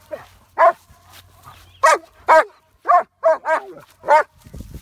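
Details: Jessie, a dog facing a horse, gives repeated high, slightly whining barks about twice a second, with a low hum underneath and brief rustling.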